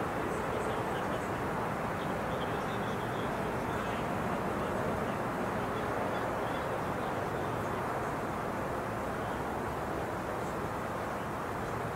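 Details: Only a steady, dense rumble of background noise, like distant traffic or a murmuring crowd, with no animal calls.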